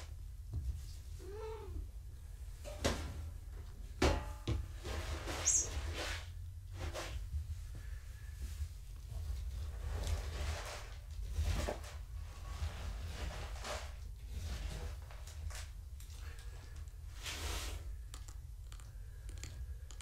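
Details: Foster kittens of Gaia, a family cat, during a weight check at home on a live foster cam: one short harmonic mew early on, a thin high squeak a few seconds later, amid clattering, handling knocks and steady low room rumble.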